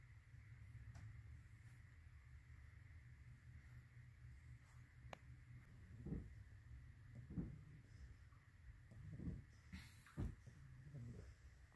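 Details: English Bulldog puppy asleep indoors, snoring and snuffling: soft low rumbling breaths that swell into short breathy snorts roughly every one to two seconds in the second half, over a steady low hum.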